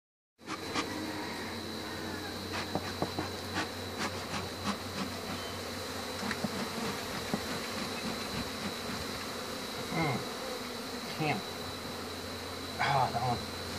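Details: Western honey bees buzzing while their hive is being removed: a dense, steady hum with a constant high whine, broken by scattered clicks and knocks of handling comb.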